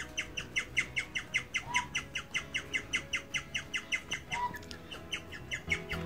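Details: A guinea pig chirps in a steady, bird-like series of high, sharp notes, about two or three each second. The call is extremely rare and its meaning is uncertain.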